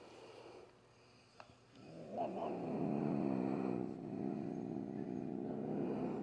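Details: Pet cat, scared as she is about to have her nails clipped, normally calm but growling and hissing for a long time; a low rumbling growl swells after two seconds and holds to the end, pulsing about four times a second, indoors.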